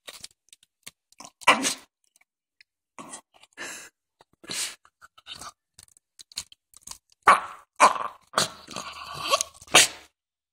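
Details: Biscotti, a Jack Russell Terrier indoors, makes strange noises: irregular, breathy, broadband snorts and huffs, some sharp like sneezes, scattered across the recording and bunching into louder, rougher bursts toward the end; a faint low hum sits underneath.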